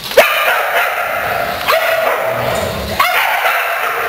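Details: Playful household dogs eager to start a game, recorded 3/3/08: three loud, high, rising yips spaced about one and a half seconds apart, with a constant hissing background between them.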